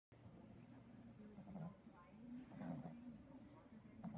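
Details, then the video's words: Beefcake, a 3-month-old Boston Terrier puppy, snores loudly while napping: a low, droning nasal rumble with a wavering tone that swells toward the middle, punctuated by faint breathy hisses. "Sleepy puppy snores loudly"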